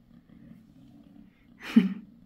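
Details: Bassy, a mother cat six days after giving birth to five kittens, purrs in a soft low steady rumble, then a short sharp louder burst of sound near the end.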